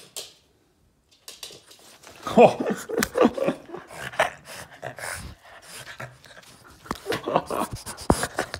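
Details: Boston Terrier Yoda indoors throwing a tantrum for attention, giving strained whining cries mixed with rapid panting and snorting breaths after a brief silent start.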